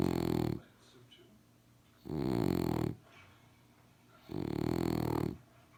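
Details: French Bulldog snoring, recorded in 2018: three loud, rough snores about two seconds apart, each a harmonic, rumbling burst lasting under a second, with quiet breathing between them.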